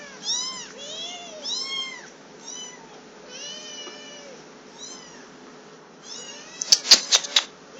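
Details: Shrill, downward-curving mews from two hungry three-week-old black kittens, female higher and male lower, repeat in quick overlapping bursts before quieter lulls, then a flurry of loud rattling clatters near the close.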